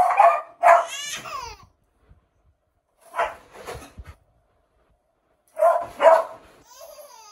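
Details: Male beagle Biggy gives loud clipped barks inside a small room, two quick bursts, a pause, then another pair, with a brief rising harmonic yelp after the first pair and a faint tonal tail at the end.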